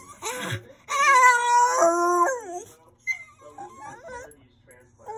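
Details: Kennelled pet Rat Terrier, shut in to calm down as a person is downstairs, lets out a drawn-out, tonal whining howl that holds then drops in pitch, followed by softer broken whimpers.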